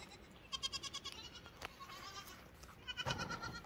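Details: Lamb bleating in two brief, trembling bursts separated by a quiet gap, with low rumbling noise underneath.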